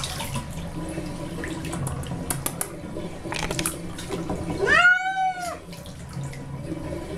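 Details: Cat named Baby, unhappy at being washed in a bathtub, gives one long drawn-out meow that rises then falls, over running water and splashing.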